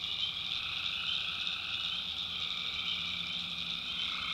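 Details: Tree frogs calling at night in the backwoods of North Carolina, a dense unbroken chorus of high, shrill trilling with steady layered tones and a fainter lower band, no single caller standing out.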